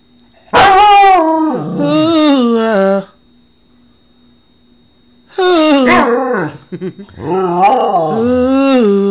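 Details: A pet dog howling along as its owner sings, in two long loud wavering bursts with sliding, quavering pitch and rich harmonics, separated by a few seconds of quiet low hum.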